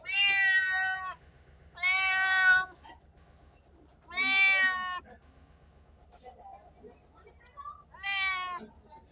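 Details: Cats and kittens meowing: four long, loud, bright meows about two seconds apart, each held nearly a second, over a faint low hum.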